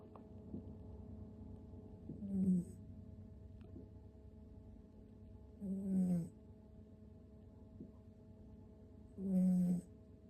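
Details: Six-month-old toy poodle puppy asleep, snoring loudly like an old man: low, rasping snores about every three and a half seconds, three clear snores with quiet breathing between, steady faint hum in the background.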